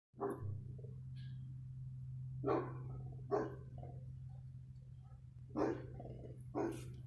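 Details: Dog barking, recorded on 15 February 2020: five sharp, mid-pitched barks spaced irregularly, a quick pair near the start and the rest spread over the following seconds, over a constant low electrical hum.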